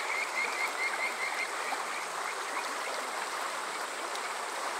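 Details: On a summer evening in Yokoze, Chichibu District, Saitama, a Kajika frog gives a short series of high, rapidly repeated whistled notes that fade after about two seconds, leaving steady flowing-water noise.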